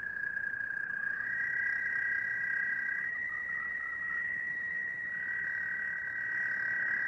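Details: American toads in the Rouge River watershed, Michigan, give long, steady, high musical trills, a second toad joining at a slightly different pitch; they call from April, in full chorus by mid-April.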